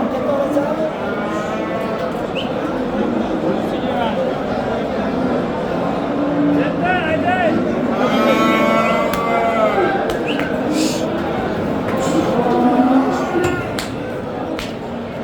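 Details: Simmental bulls for sale at a livestock market in Qorasuv, Andijan region, Uzbekistan; a harmonic, drawn-out moo rises midway through a dense crowd din of overlapping Uzbek voices and constant market noise.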